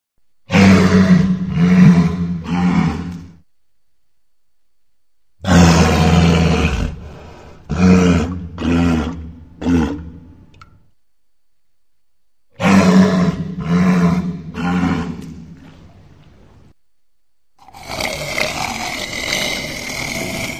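A walrus gives deep, rough roaring bellows in bouts of several pulses, separated by pauses.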